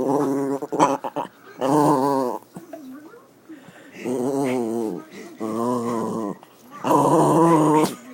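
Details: A pet dog vocalizing while being petted indoors, showing he enjoys it. Repeated drawn-out, warbling moan-growls of about a second each, with brief quieter snuffly pauses between bouts.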